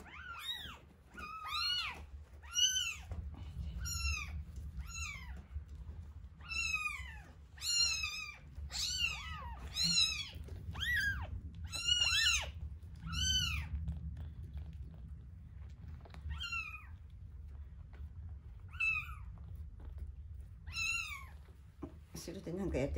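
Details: One-week-old kittens Terra and Towa at feeding time, Terra's eyes just starting to open: a rapid run of high, arched meows in quick succession, then sparser cries, with a low room rumble beneath.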